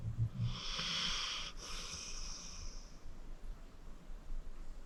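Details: Sleeping senior pit bull Acorn, 14 years old and a shelter rescue, gives a low rumbling snore that turns into a long airy, wheezing exhale, then fades to soft indoor quiet.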